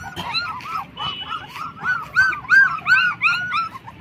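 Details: Black German Shepherd puppies twenty days old give a steady run of high, arched whimpers and squeals, about three per second, rising and falling in pitch and getting louder toward the end.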